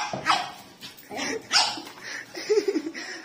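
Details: A pug puppy gives a few sharp, high yapping barks, suddenly barking at a gas cylinder, with people talking nearby.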